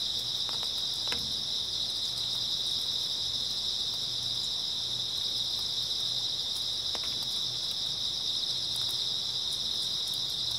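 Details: Grass insects calling in an early autumn night, a thick, unvarying high-pitched trill from many insects, interrupted only by a couple of brief sharp knocks and a quiet low hum.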